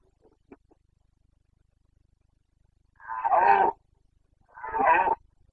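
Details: Carpathian red deer stag roaring (boncănit) in the rutting season, 29 September 2022, wild in the Bucovina mountains; two loud, harsh, rasping roars of under a second each, roughly a second apart, after quiet faint clicks.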